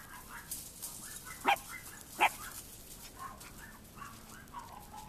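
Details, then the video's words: Two AKC Chihuahua puppies, a short-haired fawn and white male and a long-haired white female with fawn spots, playing outside on a warm February day; two sharp high yips stand out among softer whines and faint scattered yaps. "Chihuahua Puppies Playing"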